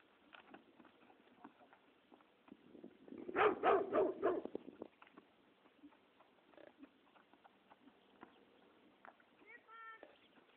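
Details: Dog barking in a quick burst of about five sharp, rapid barks near the middle, with people talking throughout at a Friesian horse training session.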